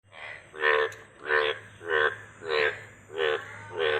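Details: Frog croaking in a steady series of seven harsh, buzzy pulsed croaks, each about a third of a second long and repeated roughly every 0.6 seconds, with a faint low hum underneath.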